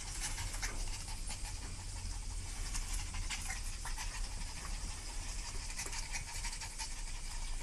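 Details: Panicking dogs pant steadily: dense, rapid breathy rasps run without a pause, layered over a low rumbling background.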